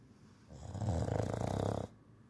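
An English bulldog snores with a deep, rattling, rumbling breath.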